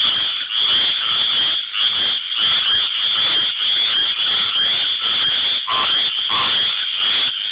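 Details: Tree frogs singing in search of love, loud high-pitched croaking in close overlapping pulses, a few lower quacking notes breaking through near the end.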